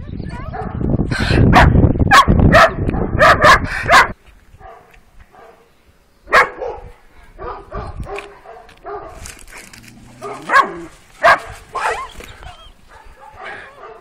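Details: Twelve-week-old working-type Kuvasz puppies, two females, on their first street walk on 28 April 2017. People talk loudly at first over some barks, then a few scattered short barks and yelps follow with long gaps.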